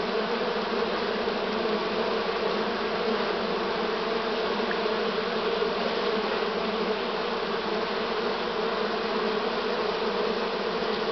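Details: Swarm of honey bees, 6 September 2019, Romania, in the last stretch of the season; a steady, dense buzzing hum of many insects that holds level without pauses.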